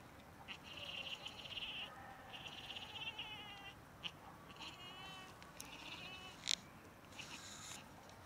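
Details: Cats during rough mating, described as in love, give drawn-out wavering yowls with strong high harmonics, several overlapping cries over the first seconds, then shorter broken wails and sharp bursts against a steady hiss.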